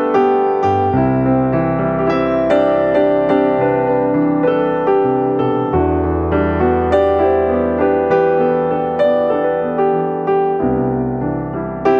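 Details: Gentle electric piano music plays throughout, with no animal sounds.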